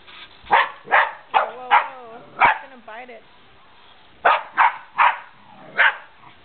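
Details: Barking dog Remy faces a remote control car, giving a run of short sharp barks with a man's wavering voice briefly between them, then four more barks in quick succession.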